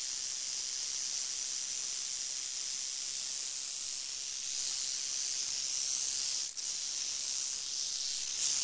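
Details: Crotalus oreganus giving a sustained high sizzling buzz; a brief dip and click near the end interrupts it before it carries on steadily.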